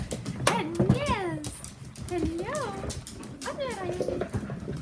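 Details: Ten-week-old Whippet puppies from Saffi and Solo's litter give three high, arched whines, each rising then falling, spaced about a second and a half apart over scattered clatter and handling noise.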